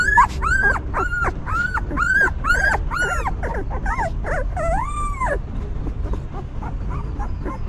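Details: Stray mother dog tending her newborn puppies; loud arched whimpers and squeals come quickly for about five seconds, then a long wavering cry, then only faint, distant whines over low rumble.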